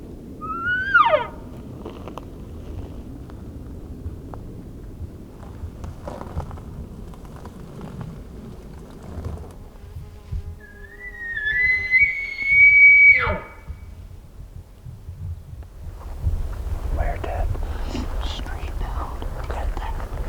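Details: Elk in Colorado, a group called in close by hunters, answer with a sharp rising whistle, then after a pause a long high whistled bugle that breaks off abruptly, over low rumbling background and rustling.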